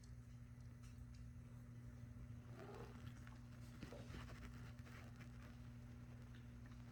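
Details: A sleeping British Shorthair kitten (Felis catus) purrs with a low, steady, even rumble.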